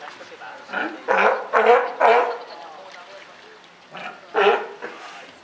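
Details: Captive California sea lions at Higashiyama Zoo and Botanical Gardens, a mother and newborn pup, 28 June 2023. A quick run of four rough, throaty barks, a pause, then two more spaced barks.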